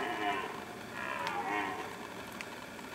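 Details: Rutting red stag giving drawn-out, rough, moaning roars that swell and fade, with a faint background hiss.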